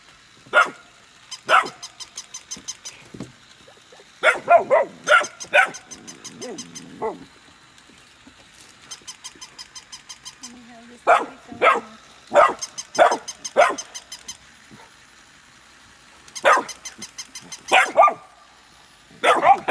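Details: Golden retriever siblings Nala and Scout, born August 2020, in play with a new puppy; bursts of barking in clusters of two to four, loud and sharp, separated by pauses filled with rapid rhythmic ticking and a low grumble.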